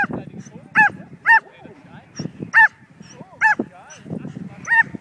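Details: Betsy, a pet Border Collie mix, barks excitedly while herding a kite being flown outdoors. Five sharp, high, ringing barks come at uneven intervals over a low murmur of background noise.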